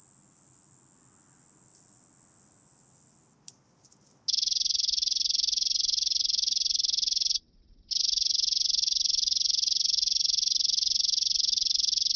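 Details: Roeseliana azami bush-cricket singing at Genesterio, Switzerland, on 5 August 2023: a continuous, very high, hissing buzz that runs on with one brief break, preceded by a shriller hiss before a short gap.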